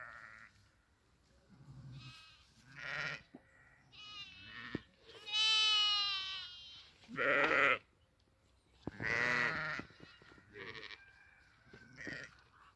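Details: Sheep at pasture while grazing give about six nasal bleats over twelve seconds. Some are higher and quavering and some lower, with quiet gaps between the calls.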